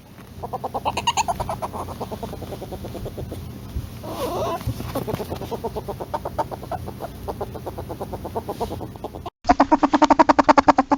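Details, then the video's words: Polecat chattering in the wild: a long run of quick, even clucks, roughly three to four a second, over a constant high hiss. It ends in a louder, sharper burst of the same pulsing clucks. "Real Polecat Sounds"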